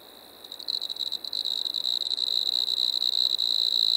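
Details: Striped marsh-cricket from Maggia, Switzerland, recorded 1 September 2023, starting up after a quiet moment with stuttering pulses that merge into a steady, shrill, high trill of constant pitch.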